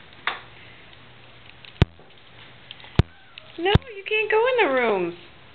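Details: Cat meowing as a little kitten antagonizes a huge cat, Ceasar and Oreo. A drawn-out, wavering meow rises then slides downward near the end, after a few sharp taps and clicks in an otherwise quiet room.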